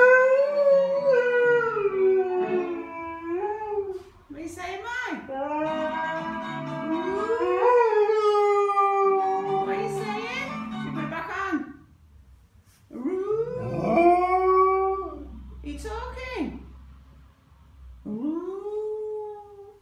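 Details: Female Alaskan Malamute, nearly three years old, howling in response to violin music: long wavering howls that rise and fall in pitch, broken by short gaps, with music playing underneath.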